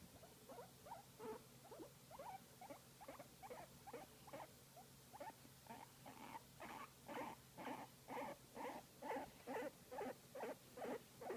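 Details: Pet guinea pig enjoying a massage, making cute sounds: soft chirping squeaks that build into a steady rhythm, about two per second, growing louder toward the end, faint hum behind.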